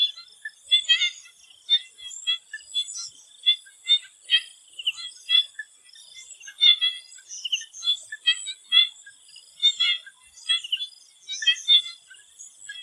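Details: Before sunset in a swamp in Thailand, frogs produce dense, rhythmic trains of short tapping clicks and chirps, pulses arriving several per second, layered over an unbroken high-pitched insect drone.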